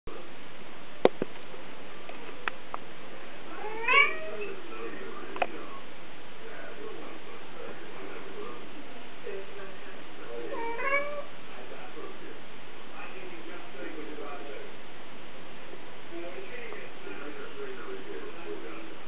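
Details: Two kittens indoors; a few short rising meows near the start and again at mid-clip, faint and separated by long quiet stretches, with soft human speech underneath.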